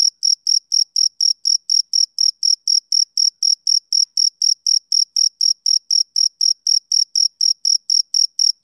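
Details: Rhythmic high chirps from a male cricket on a summer evening, each short pulse evenly spaced about a quarter-second apart, continuing without pause over a silent background.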